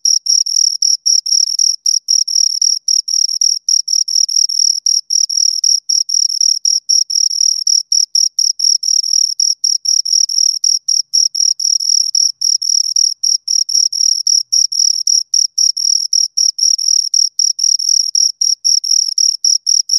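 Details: Crickets, two of them, producing a long run of rapid high-pitched chirps, pulsed bursts separated by tiny pauses at a steady quick rhythm, clean background.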